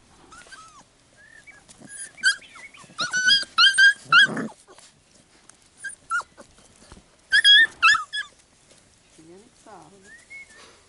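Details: Labrador Retriever puppies of the A litter scuffle, squabble and play together. Shrill, harmonic squeals and yelps come in quick irregular bursts, with quiet gaps and soft rustling between them.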